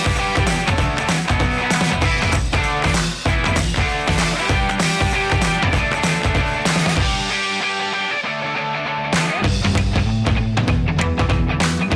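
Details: Loud rock music with driving drums and guitars throughout, and no animal sound.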